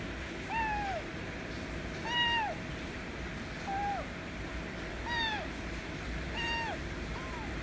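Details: ['White kitten demanding affection with repeated meows, about six arched calls roughly every one to one and a half seconds, some short and soft, over low background rumble and hum.']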